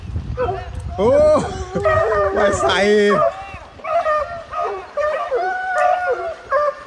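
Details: A pack of six American Foxhounds in pursuit of a deer during a hunt, voicing sliding, bending bays and yelps in short bursts with pauses between, while a man calls out in Portuguese over the dogs.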